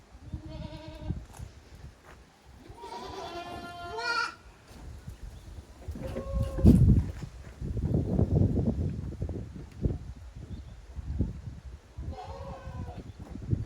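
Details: Young goats romp in the exercise yard of a handmade goat farm in Japan, 30 April 2023. A short bleat opens, then a longer quavering cry, a brief call midway and a final bleat, over heavy bumping and rustling.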